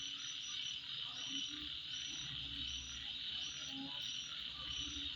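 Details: Insects calling at midnight: a steady, dense, high-pitched shrill drone with short higher chirps repeating throughout, over low croaking frog-like calls and faint background rumble.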